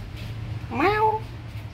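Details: Pet cat meowing while enjoying food: one clear meow that rises then holds level and falls away, under a second long, over a steady low hum.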